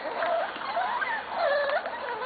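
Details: Corgi puppies from the litters of Cat and Sugarbaby, recorded 11/21/13 indoors: high, thin whines and squeals that bend up and down in pitch, several overlapping in short bursts, with soft background murmur.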